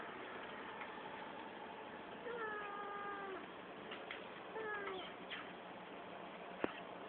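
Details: A pet cat with its owner's Citroen C4 car gives two drawn-out meows, each level then sliding downward and about a second long, the second shorter, over a steady low background hum and a sharp click near the end.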